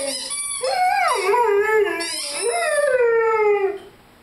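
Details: A 5-month-old Rhodesian Ridgeback with its squeaky chicken toy gives a continuous mournful howl, wavering and bending in pitch, one swell then a second long falling note before fading out.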